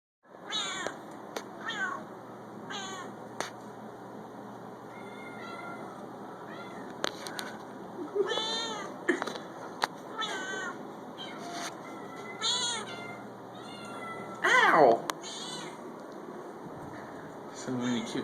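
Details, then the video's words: Talkative cat at an animal shelter, repeated meows with rising and falling harmonic contours, several in close succession, one louder sweeping meow near the end, over steady background hum of the shelter. "Very talkative cat"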